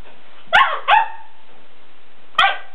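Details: Weimaraner named Sarge protesting an empty food bowl, giving three sharp, ringing barks, two close together and a third after a long quiet gap.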